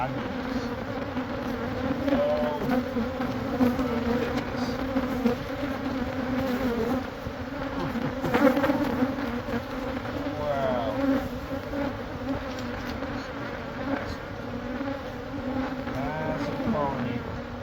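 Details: Swarming honey bees at a hive being cut out of a Catholic church wall in Monrovia; thick sustained buzzing hum throughout, swelling slightly at times, with scattered taps and faint wavering tones.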